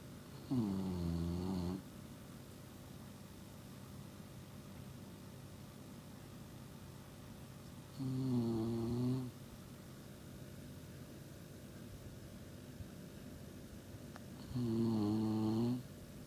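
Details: Shiba Inu sound asleep and snoring: three long, droning snores, each lasting about a second and a half, come roughly seven seconds apart, with quiet stretches between them.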